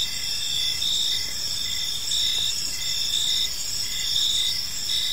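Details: Crickets in an evening park chorus, bright high trills swelling and fading slightly while brief chirps repeat at a brisk pace over soft ambient hiss.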